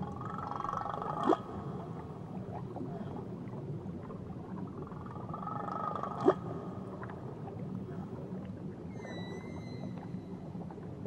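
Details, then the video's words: Whale song recorded around Tahiti: long low tonal moans with bright harmonic bands, two short sharp pulses near two and six seconds, and a rising whistled upsweep with stacked overtones near the end, over a steady underwater hiss. "Nature Sounds Only Whales & Beaches"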